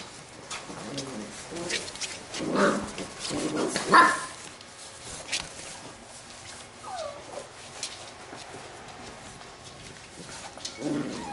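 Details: Labrador retriever puppies from a B litter at play: a few short, rough barks and yips cluster in the middle, then a rising squeak, over soft scuffling and a quiet room background.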